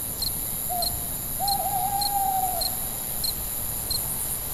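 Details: At night, a cricket gives short, high chirps at a steady pace, while an owl calls a long hoot.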